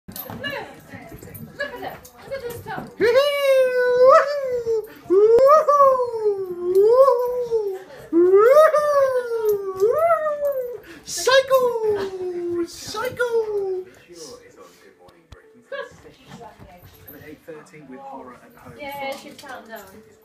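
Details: Maggie, a Jack Russell Terrier, after drinking Red Bull: a run of drawn-out, wavering howls rising and falling, each lasting about two seconds, in a small indoor room with some background voices.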